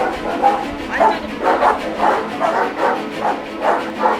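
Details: Tosa dog barking in a steady series of harsh, mid-pitched barks about every half second over four seconds, with music playing underneath.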